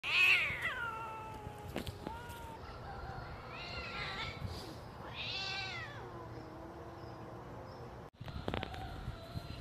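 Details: Quarrelling cats, apparently strays, fighting outdoors: drawn-out wavering yowls that rise and fall in pitch, a sharp cry at the start and a long warbling howl midway, then a sudden clatter near the end.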